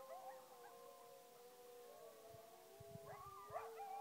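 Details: Coyotes howl at the moon at night in long, wavering tones, joined by dogs, with yips breaking in near the end.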